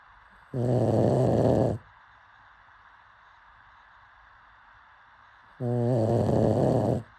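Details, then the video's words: Pug asleep and snoring: two coarse, growly snores about five seconds apart, each lasting just over a second, with near silence between breaths. "Pug snoring"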